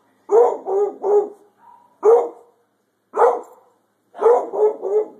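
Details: A pet hound named Holli barks at a thunderstorm: loud, deep barks, some doubled or tripled in quick bursts, separated by short silences, with a brief faint whine between groups.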